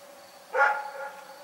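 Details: Dog at night giving one sharp, hoarse bark that fades slowly, a steady faint hum behind it.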